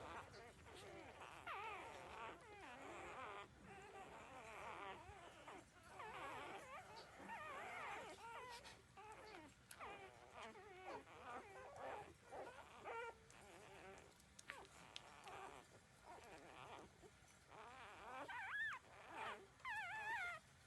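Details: Thirteen-day-old puppies nursing from their mother produce a steady stream of overlapping squeaky whimpers, wavering up and down in pitch, with brief pauses between bursts and soft background rustling.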